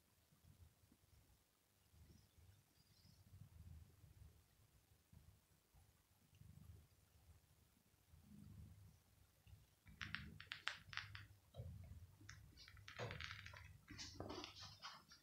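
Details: Male house cat resting on a floor carpet on a very hot day, purring as he is petted on the head: a low, steady rumbling drone throughout, with sharp rustling and scratchy handling noises from about ten seconds on.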